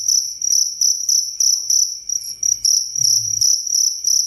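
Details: A cricket chirping crisply, meant as bedtime sound and tutoring for songbirds; bright high chirps in short uneven bursts roughly three per second, with a brief low hum in the background.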